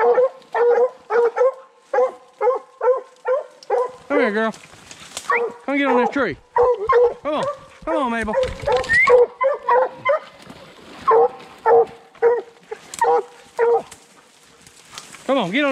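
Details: Young Redbone Coonhounds, male Hades and first-season female Copeland's Redhot Maple, during a 2020 coon hunt: rapid repeated barks, broken midway by higher, wavering yelps and whines, then more barking, with a man's voice calling out now and then.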